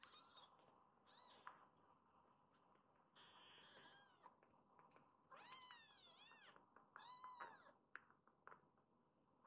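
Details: Rescued foster kittens indoors, including newly arrived Hana-chan, give high-pitched meows. Faint mews at first, then two clear bursts of overlapping rising-and-falling cries near the end, in a quiet room.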